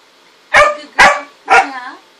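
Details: Harper, a pet dog, barks three times at roughly half-second intervals: short, loud, evenly spaced barks, the last trailing into a brief tonal tail, against a quiet background.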